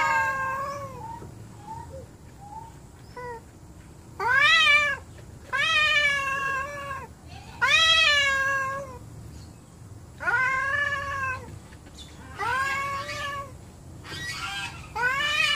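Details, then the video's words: Angry domestic cats, more than one, kept together indoors and not getting along, give drawn-out yowling meows rich in harmonics that rise and fall. About six loud calls come over fifteen seconds, with quieter short mews at the start. "My Angry Cats"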